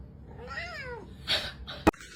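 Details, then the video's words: Cat giving a single plaintive meow indoors, rising then sliding down over about half a second, followed by a brief rustle and a sharp click. "kitten meowing crying"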